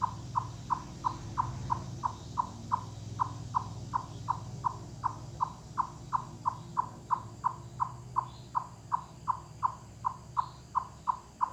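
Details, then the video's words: A wild chipmunk puts its whole body into a long series of loud clucks, like knocking on wood, in forested mountains. Evenly repeated hollow notes, roughly three per second, over a low steady rumble. "Chipmunk Cluck Cluck Wood Knocking Sounds"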